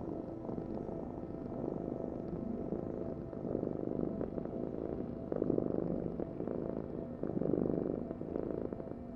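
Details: A pet cat's vibrating purr, a grainy low hum that grows louder in slow pulses near every two seconds, with stronger swells toward the end.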